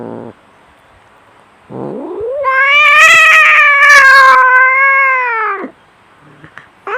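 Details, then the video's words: Domestic cat fighting, giving a loud, long drawn-out yowl that rises and then holds steady for about three seconds, with a short whine before it and the start of another cry at the end. "SUARA KUCING BERANTEM"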